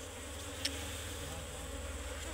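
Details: Brief burst of Asian honey bee (Serena bee) swarm sound from a nest inside a tree during honey cutting; a deep, pulsing buzz with a single sharp tap early on.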